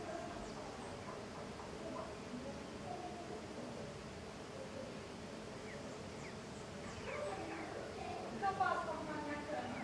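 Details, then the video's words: Tetragonisca angustula, the golden jatai stingless bee, busy in large numbers outside the hive: faint continuous humming with short sliding buzzes, which grow louder and more crowded toward the end. "Stingless bee intense activity outside the hive (Tetragonisca angustula)"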